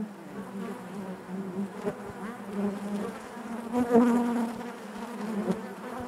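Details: Inside a beehive, honey bees make a thick, even drone, low and harmonically layered, with a short louder swell about two thirds of the way through.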